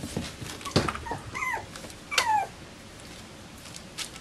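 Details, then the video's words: Bichon Frisé puppies from litters O and P at a Danish kennel, heard indoors giving two thin, high whimpers that slide downward, a soft yip before them, then quiet room noise. "Bichon Frisé hvalpe O & P"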